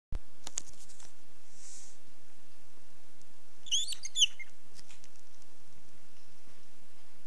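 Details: Hedgehog hoglet screaming for its mother: a short burst of high, sharp squeaks in the middle, with a few faint ticks before and after in an otherwise quiet room.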